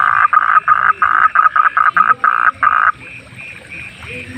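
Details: A wild frog at night gives a loud run of rapid, rasping croaks, each short burst repeated several times a second for nearly three seconds, then fades into a softer chorus of distant chirping frogs.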